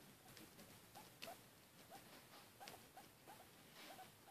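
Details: A female pet guinea pig named Mishka makes noise while eating: a run of short upswept squeaks, roughly three per second, interleaved with sharp crunching chewing clicks, recorded indoors.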